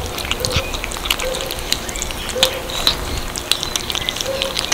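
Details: Little kittens eating cat food: sharp, irregular crunches and clicks, with faint high chirps and soft low tones behind the chewing.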